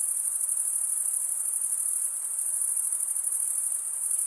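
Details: Crickets chirping by stridulation, the males scraping wing against serrated wing vein: one continuous piercing high-pitched trill with a slight pulsing texture, held evenly throughout.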